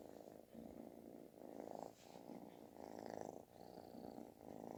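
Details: Snore-like loud purring from a kitten asking for affection; buzzing rumble rising and falling with each breath, roughly four swells, with faint high squeaky overtones.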